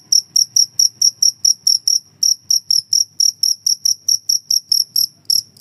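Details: High-pitched, metallic cricket chirping, used as a master sound for songbirds and to chase away mice, runs almost without a break as a regular pulse of about four chirps each second.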